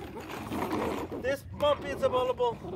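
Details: A 10-week-old Malinois puppy gives several short, high, tonal whines in quick succession after a noisy, rustling start. Each whimper is brief and slightly bending in pitch, repeated four or five times within a couple of seconds.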